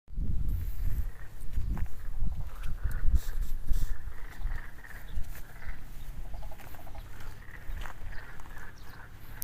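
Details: Frogs calling in the rice paddy across from a residential area in Takaoka, Toyama Prefecture, Japan, at the start of calling season; a distant, steady chorus of pulsed croaks sits under heavy low wind rumble and handling noise.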